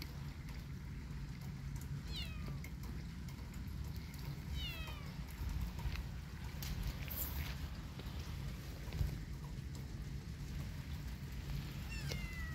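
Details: Kitten walking in a yard in rainy weather gives three high, downward-sliding meows, near the start, middle and end, spaced several seconds apart over a steady low background rumble.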